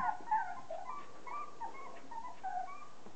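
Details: Thirty-day-old Border Collie pups, offspring of Kim and Andy, give a run of thin, wavering whimpers and brief squeaks, rising and falling in pitch, several overlapping voices calling almost without pause.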